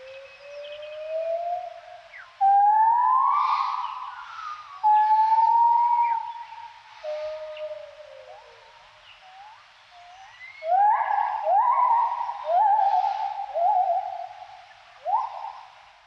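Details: Gibbons in the morning: long pure notes swell and glide upward, then hold, before a faster run of short rising whoops, loud and clear over an otherwise quiet background.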